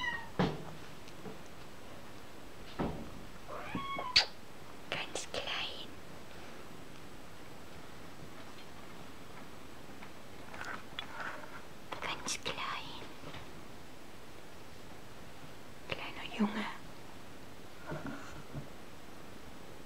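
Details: Kitten named Minou, indoors in a small room, giving a few short harmonic mews near the start and brief, softer calls later, mixed with whispered human speech and light clicking noises.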